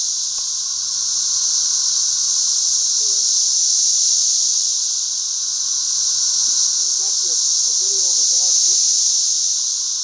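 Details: Thousands of 13-year periodical cicadas flying all over a back yard: an unbroken, high, hissing drone that swells and fades slowly like an eerie outer-space hum, with faint voices in the background.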